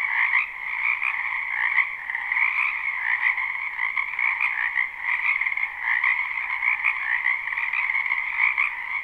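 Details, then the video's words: Numerous wetland frogs croaking in spring behind a house, captured live with no looping: a continuous layered chorus of fast, rattling trills, with brief dips and surges in volume. "Ambient Noise for Sleep Frogs"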